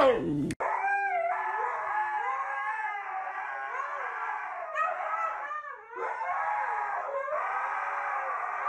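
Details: Siberian Husky howling indoors in long, wavering, harmonic-rich tones that repeatedly rise and dip, with short breaks near the middle and a sharp click at the very start.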